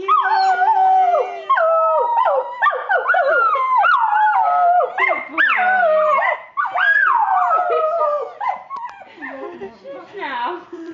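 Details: Border Terrier howling along to "We Wish You A Merry Christmas": a run of wavering, yodelling howls and whines that slide up and down in pitch, broken into short bursts with brief gaps, loud and continuous over about eleven seconds.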